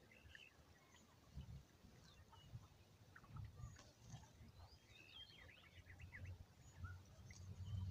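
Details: Cows in a cattle herd with calves and bulls give low, rumbling grunts and a deep drawn-out moo near the end, while small birds chirp and twitter steadily in the background.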